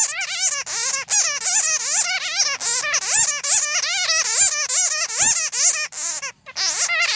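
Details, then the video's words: Bat calls for luring bats into traps. Continuous run of quick, warbling squeaks, rising and falling and repeated more than twice a second, bright and high with no other sounds. "Tiếng Dơi kêu | The Sound of Bats"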